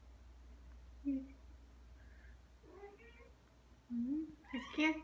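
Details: Ragdoll cats at home, aged two years nine months and two years five months, with a pompom toy; short meows near one second, then louder rising meows after four seconds, quiet indoor room with soft human voice.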